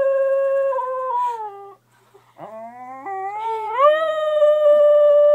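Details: Dog howling in its sleep: a long held note that falls away, a short gap, then a low note climbing in steps to a loud sustained howl.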